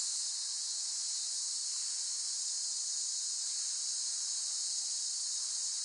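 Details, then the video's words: Cicadas keep up a constant, high, electric-sounding buzz, somewhat quieter and steady throughout, with faint low rumbles underneath. "เสียงจักจั่น ฟังเพื่อผ่อนคลาย (Cicada Sound Effects)【セミの声】"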